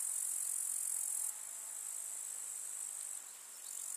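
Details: Grasshoppers chirping in a summer meadow with wildflowers in the countryside: a dense, steady, very high-pitched shimmering trill that runs without pause and drops abruptly in loudness partway through.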